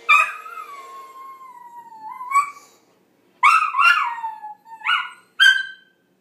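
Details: Ziggy, a pet dog, howls in reaction to a movie studio intro fanfare: a long sliding tone drifting downward, then several short rising-and-falling yelps and wavering howls with brief silences between them.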